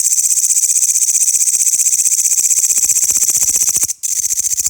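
A dense chorus of grasshoppers fills the air with a sharp, sizzling buzz, made of quick ticking pulses that blur together. The sound holds steady throughout, with a brief cut just before the end.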